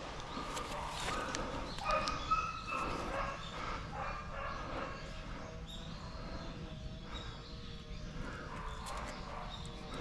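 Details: Hunting dogs Riki and Rin working on a wild boar hunt in Japan, Riki having flushed the boar; distant repeated yelping barks and baying in a steady stream, with wind and brush noise around them.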